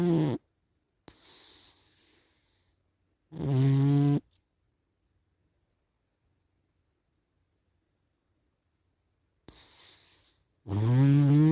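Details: A sleepy cat snoring while asleep: low, rough voiced snores with strong buzzy harmonics, in bursts separated by long silent pauses and softer breathy inhalations.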